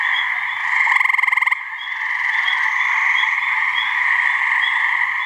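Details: Gray treefrogs (Hyla versicolor) give mating calls in a New Hampshire swamp during their May-to-midsummer season, a short, musical pulsed trill over a dense, ringing chorus of calling frogs.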